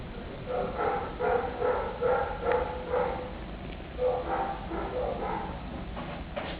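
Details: Kitten calling for attention with a quick string of clear, tonal, high mews, about two or three each second, a short gap, then another run of cries.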